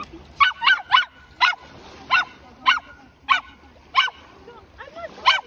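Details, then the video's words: Excited puppy yelling over seashells on a beach in Lagos, Portugal, guarding the shells from a person collecting them: sharp high yapping barks, about ten in five seconds, in an irregular rhythm. "Puppy Starts Yelling Over Seashells"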